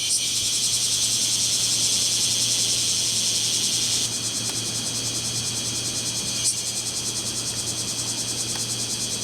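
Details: Male kumazemi cicadas singing in a lively summer chorus for courtship in Fukuoka City, Fukuoka Prefecture, on July 11, 2022: a loud, dense, continuous high buzzing wall of sound that drops slightly in intensity partway through.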